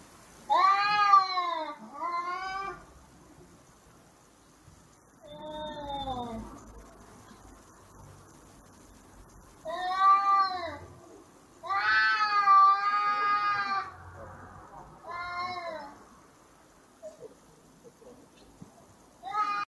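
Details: Two cats screaming while fighting in a brawl: wavering, drawn-out yowls rich in harmonics, rising and falling in pitch, in bursts of one to two seconds, about eight outbursts with quieter pauses between.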